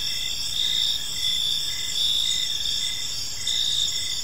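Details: Several crickets calling together in a park at evening, high thin continuous trills with brief pulsed bursts, over a faint low background murmur.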